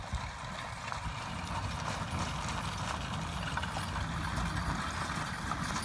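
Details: Team of two Percheron geldings, full brothers aged 9 and 10, travelling down a road in harness; uneven clip-clop of hooves, about three beats a second, over a steady low rumble of wheels and road noise.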